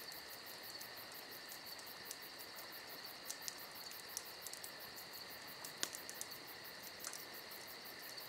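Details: Summer-night crickets fill this stretch with a dense, bright, unbroken trill in two steady high layers. Soft irregular ticks and one clearer crack from a nearby campfire sit lightly beneath the chorus.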